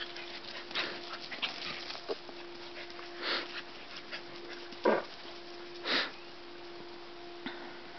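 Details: Collies Laya and Nacho at play, giving several short breathy sniffs and puffs of air, spaced a second or two apart, over a steady low hum in a quiet room.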